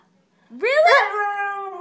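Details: Siberian Husky pup indoors, vocalizing back to its owner in a playful conversation; a single rising, wavering howl-like yowl that climbs then holds a steady tone for about a second, with rich harmonics.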